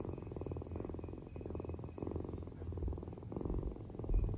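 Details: Low, rumbling cat purr pulsing in breath-length cycles about every second and a half, soft and steady, with a faint constant hum behind it.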